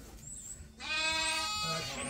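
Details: During feeding chores on a sheep farm, a sheep bleats once, a steady, nasal, overtone-rich call lasting over a second, after faint background noise.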